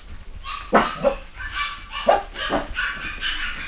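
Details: Cavachon puppies, a Cavalier x Bichon litter of boys and girls at a UK breeder in 2015, giving a few short, high, squeaky yaps with uneven gaps against a soft indoor background.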